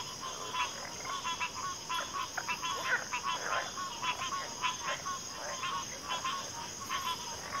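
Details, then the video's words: Frog chorus from a backwater, many overlapping short pulsed croaks and trills between 1 and 4k layered densely, with a steady high insect drone running throughout. "FROGS - Pig Frogs, Water Frogs, Backwater Chorus, & Frog Chorus"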